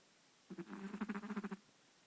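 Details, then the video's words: Chihuahua snoring: a single one-second snore made of quick fluttering pulses, a soft buzzy rattle, with quiet before and after. "Chihuahua Snoring"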